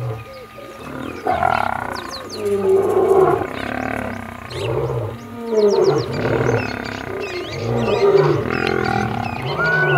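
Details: Wild lions in Kruger National Park, an old male fighting young males that refuse to give up their territory; harsh rasping roars and growls swell and fade in overlapping bursts, with birds chirping high in the background.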